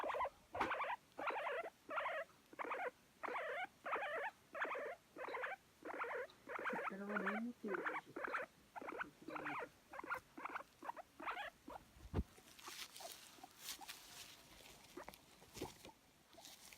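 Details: Pet guinea pig seeking affection, spring 2019, Japan: rapid regular squeaky chirps about one and a half per second, briefly lower and warbled midway, then fading out; a woman speaks softly in Japanese near the end.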